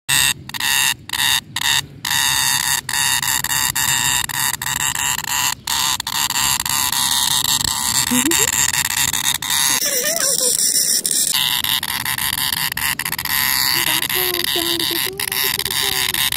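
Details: Cicada, known locally as tonggeret, garengpung or kinjeng tangis, giving a dense, continuous high-pitched buzzing drone with steady tonal bands throughout, a brief dip near the middle, and faint voices in the background.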